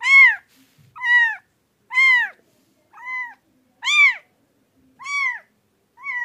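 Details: Pet cat meowing repeatedly, about once a second, each meow a rising then falling harmonic-rich cry, some louder and some softer, in an otherwise quiet room.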